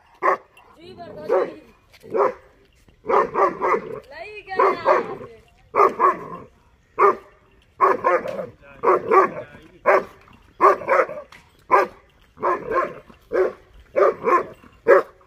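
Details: German Shepherd puppy Dollar, 6.5 months old, barks repeatedly at buffaloes, which he barks at whenever he sees them. Steady run of harsh barks, roughly one per second, occasionally paired, with a few softer yelps between.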